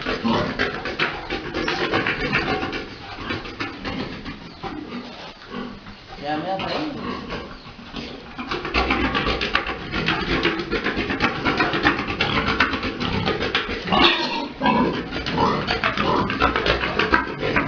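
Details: Big boar mating a sow during breeding at a pig farm; rough, noisy grunts and snorts come in an irregular stream, about eighty a minute, over a dense broadband farm din with some human voices.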